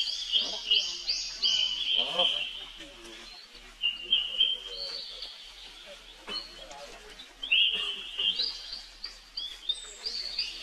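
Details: Rainbow's little brother, a baby monkey, shrieks for help in rapid, shrill, wavering bursts that rise and fall, with short breaks and low rustling and chatter in the background.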